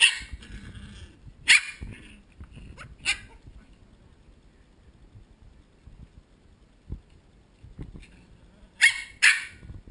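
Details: Ten Corgi puppies that do not want to go to bed, recorded on a GoPro HD HERO2: high, sharp yipping barks burst out in short pairs near the start, middle and end, with quiet shuffling and soft thumps between.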